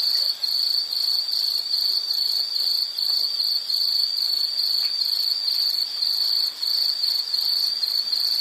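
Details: Insect song, a continuous high-pitched pulsed trill holding one sharp pitch, the pulses packed tightly and barely breaking, over faint hiss.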